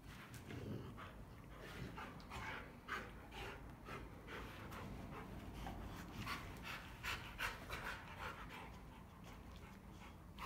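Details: Rottweilers Clyde and Cruella at playtime, one panting hard in quick breathy bursts, roughly two and a half per second, soft broadband puffs with a steady low hum behind.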